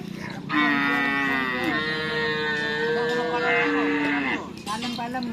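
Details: One loud, prolonged moo lasting nearly four seconds, tonal and bright with a small pitch step midway, from Madura cattle at bull-racing practice at Asemanis field in Pamekasan; voices are heard faintly before and after.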